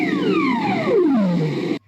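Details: A ribbon seal in the Arctic Ocean gives a long, eerie downward sweep underwater, sliding smoothly from a high whine to a low moan. These seals do most of their calling to each other in the water under the ice.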